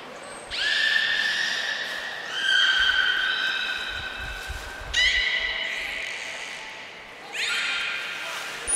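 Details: Beluga Nico in training at Port of Nagoya Public Aquarium, February 25, 2024, giving four tonal harmonic calls, some rising sharply at onset, roughly two seconds apart, with faint background rumble.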